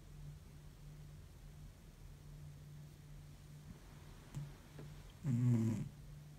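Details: Cat sound asleep after an exhausting week; a small snuffle, then one loud, throaty snore swelling briefly near the end over a low constant hum.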